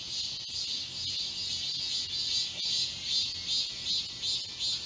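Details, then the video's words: Cicada chorus in summer forest at Galsan Park, Mokdong, Yangcheon-gu, Seoul: dense high buzzing pulsing about two to three times a second, steady and overlapping, with faint footstep-like clicks beneath. "여름 자연의 소리. 매미울음소리."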